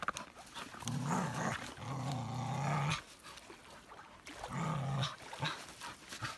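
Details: Playful Norwegian Elkhound Elsa growls low and rough in three drawn-out bursts while playing with sticks on the beach, against steady wind and surf-like hiss.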